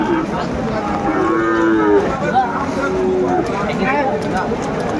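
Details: Sahiwal cattle at a market in Madaripur, Bangladesh, during rain on 3 September 2024; two drawn-out, tonal moos, one lasting about two seconds and a shorter one after, over steady crowd murmur and bargaining voices.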